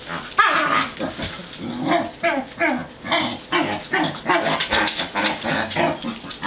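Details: Three Pembroke Welsh Corgi males on a farm heading outdoors; overlapping barks and yips in an uneven stream, some lower growly tones mixed in, with a steady background hum.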